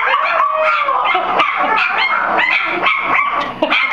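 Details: Young Soft Coated Wheaten Terrier puppies, four weeks old, howling at a strange voice in a dense chorus of high, wavering whines and short yips that overlap without pause.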